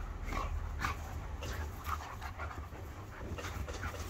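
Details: Panting dog during a staredown between a two-year-old Irish Setter and a five-year-old Border Collie x Kelpie x Blue Heeler, giving quick breathy huffs about twice a second over a low steady rumble.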